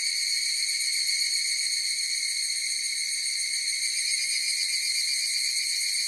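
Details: Chorus of higurashi cicadas: a steady, high, ringing tone with bright overtones, finely pulsed about four times a second, holding even loudness throughout with no other sounds.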